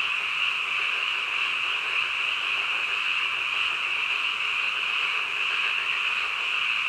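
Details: Frogs calling in the middle of the night: a dense, unbroken chorus forming a steady high trilling drone throughout, with no pauses and no other clear sounds.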